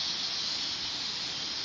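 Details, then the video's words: Chorus of cicadas in mountain coffee plantations: an unbroken, piercing high buzz, even in loudness from start to finish. "Sonido de las chicharras en la Montaña"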